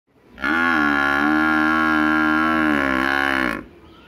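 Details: A village buffalo gives one drawn-out moo, deep and heavily harmonic, holding steady for about three seconds with a gentle waver before cutting off abruptly over faint background noise.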